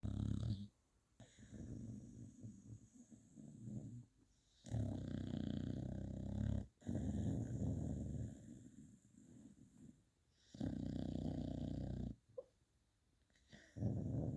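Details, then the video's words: Beagle sleeping and dreaming in a four-star hotel, snoring in deep, rasping breaths that swell and stop every two to three seconds, with near-silent gaps between each rumbling snore. "Beagle snoring and dreaming in a four star hotel"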